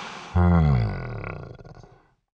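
A Celebes crested macaque gives a deep, throaty grunt that starts abruptly and fades over about two seconds.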